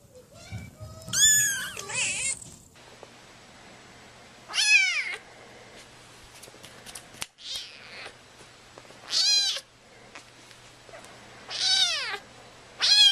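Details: Domestic cat meowing: five or six separate high, arching meows spaced a few seconds apart, each short and bright, with quiet room noise between.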